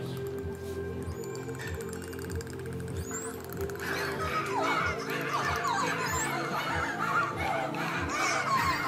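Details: Dolphins, part of a group of six performing at Attica Zoo, Greece, on 20 November 2014, give quick squeaky whistles sweeping up and down over steady background music.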